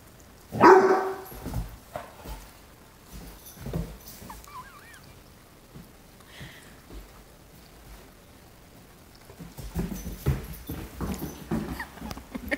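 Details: Great Dane puppy frightened of a feather toy, giving one sudden loud bark near the start, then soft scattered thumps and small noises with brief quiet stretches as it reacts to the toy indoors.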